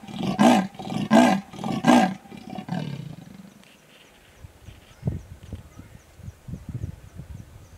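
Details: Territorial sawing rasp from a female leopard in Sabi Sands, greater Kruger, after grooming and yawning: three or four harsh rhythmic grunts spaced under a second apart, fading out, followed by quieter rustling and faint insect chirps.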